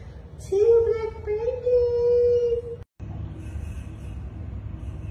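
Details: Mother cat with her newborn kittens at feeding time, giving one long, drawn-out meow of about two seconds, held at a steady mid pitch with a slight rise at the start. A short silent gap follows, then low room hum.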